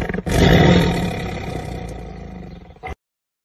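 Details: A black tiger gives a single deep, rumbling roar like a car engine that swells quickly, then fades over about two seconds.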